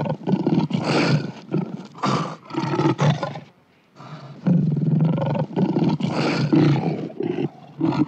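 A lion roars in a series of deep, throaty bursts with brief pauses between them.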